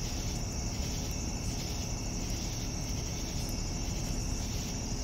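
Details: Evening cricket chorus of an unbroken high-pitched trill and faint quick pulsing chirps, set against constant low-frequency hum.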